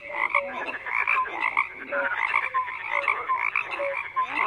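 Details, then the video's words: Frogs in full chorus give layered croaks. Clear, short piping notes repeat every half second or so above a steady buzzy background of other callers. "FROGS CROAKING"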